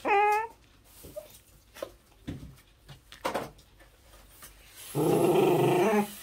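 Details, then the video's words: Pembroke Welsh Corgi puppy protesting while being brushed: a high, harmonic-rich whine that bends up and down in the first half-second, then scattered thumps and soft yips, ending in a loud noisy burst. "I Hate Brushing! Get Me Out of Here! Baby Corgi."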